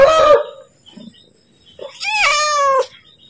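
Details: Cat calling for food while about to be fed: a short rough cry, then one clear drawn-out meow that rises and falls, each followed by quiet.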